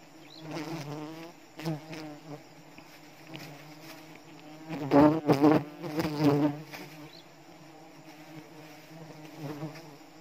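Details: Giant honey bees (dorsata) at a wild hive on a tualang tree in Borneo during a rainy-season honey harvest; low droning buzz with several loud buzzing bursts swelling and fading, a man's voice faintly nearby.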